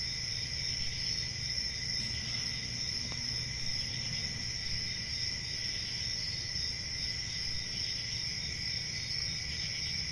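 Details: Cricket chorus outdoors: continuous shrill chirring that holds steady without pause, stacked high tones droning together above a faint low hum.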